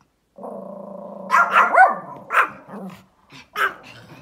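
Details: An outdoor Pomeranian gives a low, steady growl, then breaks into a run of sharp, high yaps at a big dog it sees outside, while its owner tells it to stop barking.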